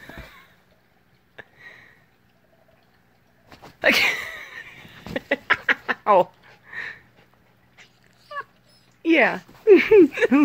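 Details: Indoor Siberian Husky with an Alaskan grey wolf father, active at 5:30am; a harsh burst, then a quick series of short clipped yips, and finally several wavering, up-and-down harmonic howling whines.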